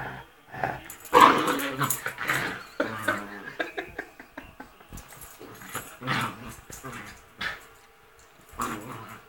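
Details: Pet Rat Terrier having fun and playing rough indoors, making primal noises: rough throaty growls and snarling grunts in uneven bursts, loudest near the start, with short pauses between outbursts.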